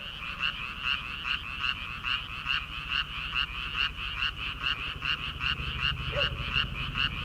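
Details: Chorus of frogs in rice paddies in early summer, before rice planting: dense overlapping croaks pulsing about two to three times per second in a steady rhythm, with a low rumbling hum underneath.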